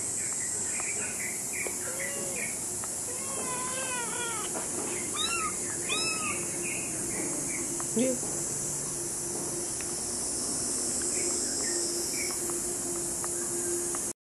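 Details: Kitten meowing while walking around, high-pitched short meows in scattered bursts over steady hiss and insect-like background noise, with a few brief voices.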